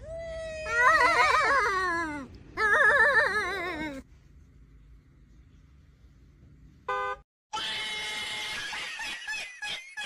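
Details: Domestic cat in a funny cat compilation, giving two bursts of wavering, warbling yowls over about four seconds. A low hum follows, then a brief tonal note and a noisy, clattering final stretch.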